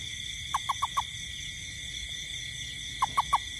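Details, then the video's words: A toad in a garden on a rainy night utters a rapid series of four short low notes. After a two-second pause comes a second series of three. Steady high insect buzzing continues underneath. "Toad frog sound in garden at night"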